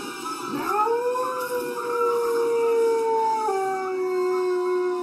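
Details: Dog howling from a funny compilation of singing dogs: long sustained tonal howls, smooth and level with rich harmonics, gently rising then sliding lower near the end, continuous for about five seconds.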